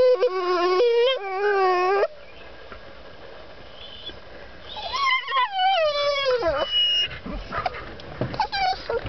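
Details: A female dog whining to be let out of a truck gives wavering, nasal, rising-and-falling whines at the start and again midway, with quieter rustling between.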